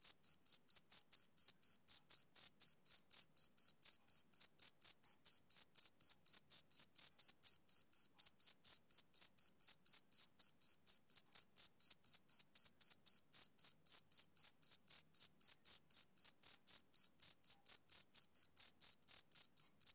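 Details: Steady chirping of a male cricket as heard on summer evenings, rapid regular high-pitched pulses repeating about four times a second without pause across the whole stretch, no other sounds present.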